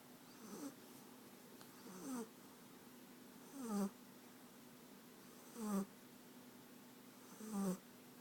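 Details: American Staffordshire Terrier puppy named France from Rostov-on-Don, asleep and snoring: low rasping snores roughly every two seconds, each a short rough burst with a faint airy hiss, quiet room between breaths.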